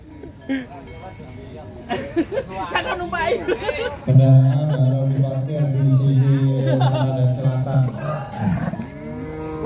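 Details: Giant cows being unloaded from a truck, from the stable of the bulls Wisanggeni, Arjuna and Boing: after men talking, one long, deep, steady moo lasting about four seconds, ending in a short rising tail.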